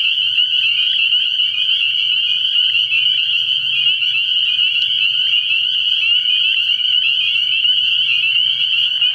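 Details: A massed chorus of spring peepers at a pond on an early spring night, with continuous shrill, ringing peeps overlapping so densely they form one steady high whine, and a faint low rumble beneath.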